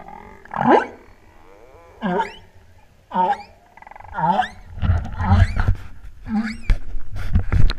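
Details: Humpback whales off the Big Island of Hawaii during the 2015 spring equinox eclipse, recorded on a freedive: short swooping cries and upsweeps about once a second, ending in a cluster of mixed grunts and chirps.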